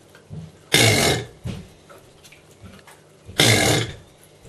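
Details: Captive 12-year-old male Chinese alligator bellowing: two powerful rasping roars, each about half a second long and roughly three seconds apart, rough and noisy with a deep throaty base, in a quiet indoor setting.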